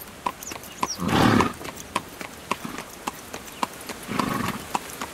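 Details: Carriage horse on the move: sharp clip-clop hoofbeats with ringing overtones, broken by a loud breathy burst near the start and a softer breathy rush toward the end.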